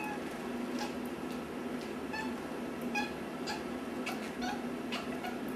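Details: Indoor house cat making faint, squeaky meows its owner calls dolphin-like. Several brief chirping calls are spread through the clip over a constant low background hum, with a little human speech.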